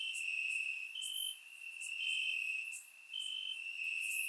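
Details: Crickets in grass on a warm summer night, Bulgaria, recorded in surround sound: sustained piercing trill with short higher-pitched phrases at roughly one-second intervals and faint high chirps.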